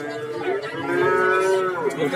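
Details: Cattle at the livestock market in Warujayeng, Nganjuk, where many cattle from various regions are sold: one long, steady, harmonic moo lasting about two seconds, dipping slightly at the end, with faint market chatter behind.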